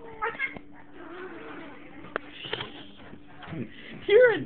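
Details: Lucas, a pet cat with a terrible temper, protests while someone tries to pet him. A short, whiny, wavering yowl comes at the very end, after a brief meow-like note at the start, with people talking and a steady hum throughout.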